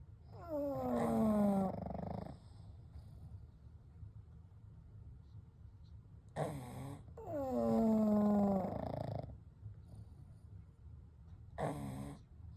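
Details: Three pugs, Kou, Gen and Shun, asleep together at night: two long whistling snores, each sliding down in pitch and ending in a rasp, alternating with short huffing breaths and quiet stretches in between.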